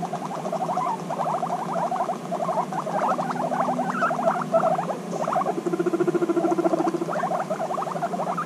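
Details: Two female guinea pigs reunited after six months apart, bonding intensely; steady pulsed rumbling purrs in rapid trains, continuous throughout, with a lower buzzing rumble near the end.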